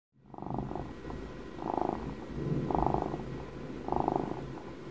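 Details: Twelve-year-old house cat purring for an ASMR recording, starting after a brief silence, then four slow swelling pulses of low rumbling buzz, about one per second, in a quiet room.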